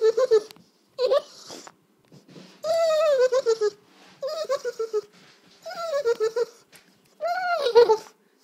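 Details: At dinner time, Sisko the dog gives a string of six or so 'talking' whine phrases, each a wobbling, downward-curving moan about half a second to a second long, separated by brief silences, in a small indoor room.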